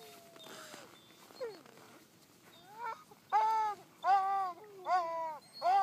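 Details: Siberian huskies howl in La Plagne, a series of drawn-out, wavering cries that rise and fall.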